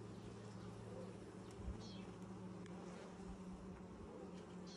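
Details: Humming of a honey bee colony, opened for inspection six days after nucs were installed in 2020; an even, continuous buzz with a low droning tone and no other clear sounds.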